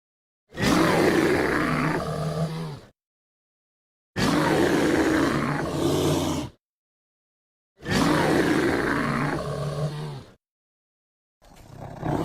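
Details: American black bear of North American forests giving three loud, harsh, roaring bellows, each lasting about two seconds, separated by clean silences, with a fourth starting at the end.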